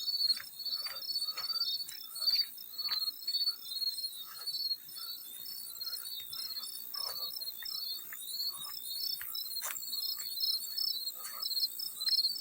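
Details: Continuous high, pulsed chirps from a field cricket, repeated in an even rhythm, with scattered water splashes and drips sounding underneath throughout.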